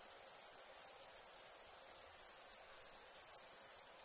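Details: A very high, rapidly pulsing insect trill from crickets at nighttime, steady and buzzy, with one short break partway through.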